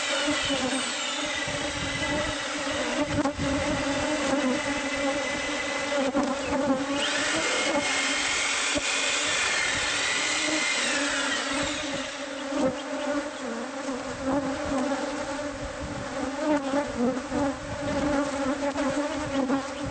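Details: Bees in a hive uncovered inside a house's walls during pest-control removal: an unbroken droning buzz with a steady overtone layer, while grinding and scraping from the work rises in the middle and knocks sound throughout.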